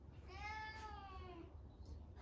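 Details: Cat named Mame Daifuku meowing at home while inviting its father for a walk, a daily habit; a single drawn-out, wavering meow with rich harmonics lasting about a second, over low indoor hum.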